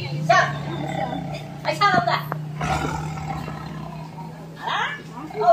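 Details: An angry white tiger at Tiger Park Pattaya, Thailand, gives aggressive, harsh, rasping roars and snarls, with people talking nearby.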